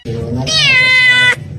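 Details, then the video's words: A single drawn-out, bright meow lasting about a second, held at a steady pitch over soft background music. "kitten meowing cute"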